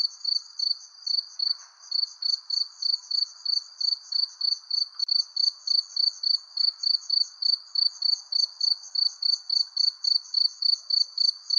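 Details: Under a persimmon tree at sunset, crickets give rapid shrill chirps, about three and a half per second, steady throughout, with a faint lower hum and an occasional soft tap.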